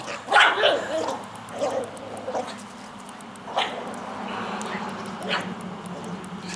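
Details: Rat terrier in Oregon going berserk at hearing the word squirrel, giving a few sharp excited barks and yips spaced about a second apart, with a person speaking at the start and steady room hum.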